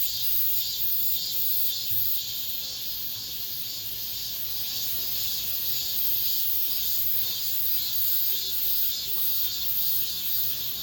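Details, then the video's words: End-of-summer cicadas calling among apartment blocks, their last song of the season: a sustained piercing buzz in a thick chorus, beating in even pulses roughly every half second, with a low steady hum underneath. "올 여름 마지막 매미소리"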